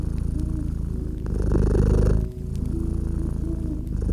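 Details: House cat's low purr by a gently crackling fireplace, one swelling rumble rising and dropping away, with continuous buzzing purr around it, scattered crackling pops and faint held tones behind.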